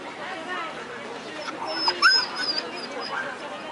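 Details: At the 2012 Rende International Dog Show, a female Siberian Husky in the open class lets out a brief cluster of thin, high whines and yelps midway through, over steady background chatter in Italian.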